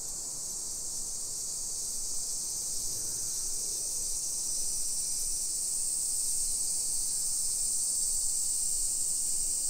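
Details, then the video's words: Summer cicadas singing in a hillside residential neighbourhood of Nisshin, suburban Nagoya, Aichi Prefecture, Japan, at 1 PM on 28 July 2021: a steady, dense high shrill drone that holds unbroken throughout, with faint low street rumble beneath. "Summer Cicadas Sounds"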